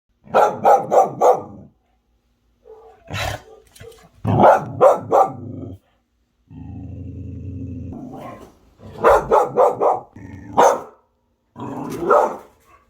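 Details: A one-year-old female pit bull mix barks in rapid bursts of four or five, with a long low growl between, reacting to a ceiling fan she has just discovered and won't stop barking at.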